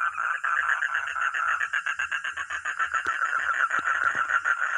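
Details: Quick, even series of raspy mid-pitched croaks from a frog or toad, close to four pulses each second, with faint low thumps underneath.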